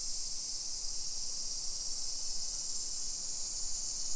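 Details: Summer cicadas calling at 1 PM on 28 July 2021 in a modern hillside residential neighborhood of Nisshin city, near Nagoya, Aichi Prefecture, Japan. A steady, high-pitched, hissing drone runs unbroken and evenly throughout.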